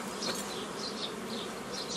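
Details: Honey bees at an apiary on 15 May 2018, worked by a hobby beekeeper forming old-style nucleus colonies from a previously gathered foraging swarm; steady dense humming drone with brief high chirp-like bursts recurring over it.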